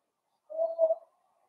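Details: Blenheim Cavalier King Charles Spaniel puppies playing with their mother Paris in an indoor puppy pen, a litter of five born at New Year's; a single short tonal whine in two quick swells, otherwise quiet.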